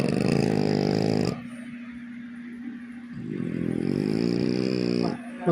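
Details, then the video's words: French bulldog snores in two loud, raspy, vibrating drawn breaths separated by about two seconds of quieter, gentle breathing, with a brief sharp sound at the end. "snoring dog"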